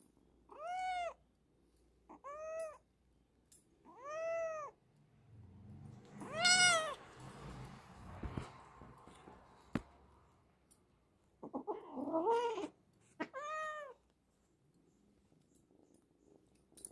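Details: Hungry abandoned kitten, rescued near home on a morning walk, meows repeatedly with arched, plaintive cries every couple of seconds, broken by a stretch of rustling handling noise in the middle.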